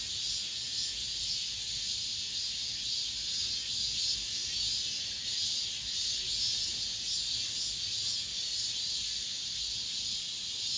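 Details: An end-of-summer cicada chorus recorded within an apartment complex, the season's last. The high, hissing whine runs without a break, evenly loud, with soft undulations and nothing else clearly heard.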